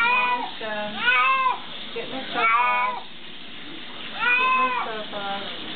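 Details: Cat being bathed calls out repeatedly as if saying "help"; several strained, wavering meows, some clipped and some drawn out, with quieter gaps and soft background noise between cries.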